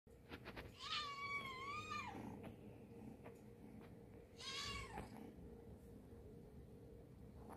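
A Scottish Fold cat gives two long, drawn-out meows, each wavering slightly before falling away.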